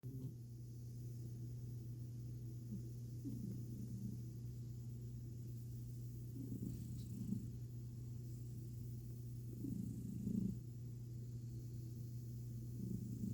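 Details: A cat named Milo purring while his belly is petted, something he rarely allows; a steady low droning purr runs throughout, with brief louder rumbling swells every few seconds.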